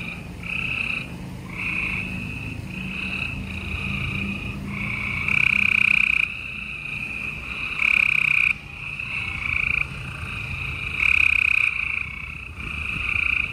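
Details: Night chorus of gray treefrogs in Houston, Texas, 28 April 2020: overlapping rattling trills from several callers, with louder nearby trills of about a second each breaking in every couple of seconds, plus a faint low hum.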